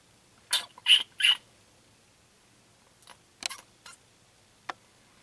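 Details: Three young raccoons (Procyon lotor) at a house door, with no mother in sight, give short, high, squeaky chirps in quick bursts.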